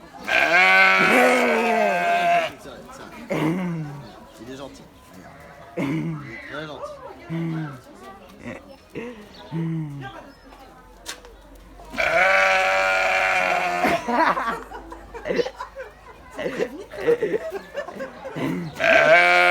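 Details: Sheep bleating: two long, loud, wavering bleats at the start and midway, with people talking over and between them, including children's voices.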